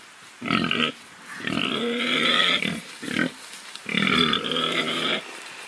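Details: Domestic pig oinking and grunting in four harsh nasal bursts, some stretched over a second, with a short grunt between, loud and close.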